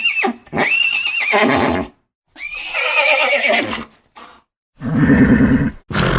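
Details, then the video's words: Horse giving long, high, shaking whinnies that fall in pitch, three main bursts over six seconds, followed by a low, rough, pulsing snort near the end. "Horse Sounds"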